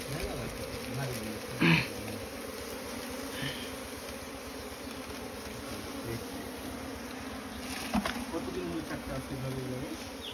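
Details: Continuous low buzzing of Asian honey bees (Apis cerana) at their nest inside straw, a dense droning hum, broken by two sharp knocking thuds near the two-second and eight-second marks.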